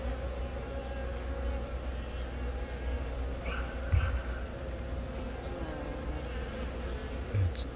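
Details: Honey bees around a newly laying queen, born from the year's first natural swarm, Yongin Baegam, Korea, April 20, filmed on a Galaxy Note10; steady low droning hum with a brief louder buzz near the middle and again at the end.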